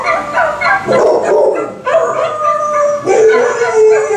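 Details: Pet dog howling to a Volkswagen commercial with Star Wars music; long wavering, tonal howls that rise and fall, each lasting about a second, with soft background television sound.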